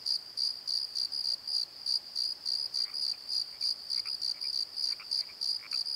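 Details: Crickets calling at night in a valley bottom near a tree at Pozo: steady pulsed chirps around a high narrow band with a fainter overtone, repeating about three times a second, with faint higher scattered notes from other night callers.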